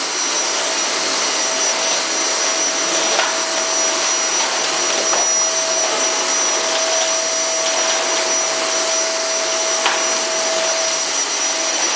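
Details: A vacuum cleaner drones steadily indoors with a constant high whine throughout.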